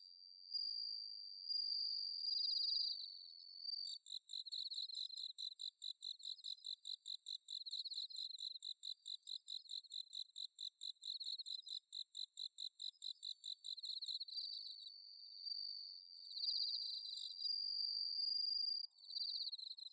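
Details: Bell cricket in Chiba's Inba-numa rice paddies on an autumn night, Zoom H6 recording: a long steady ringing tone, then a stretch of quick regular high chirps, then ringing tones again.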